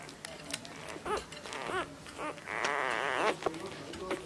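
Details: Labrador Retriever puppies fighting for milk while nursing: thin, wavering whimpers and squeals rise and fall in pitch, with one longer quavering whine near the end, over soft rustling.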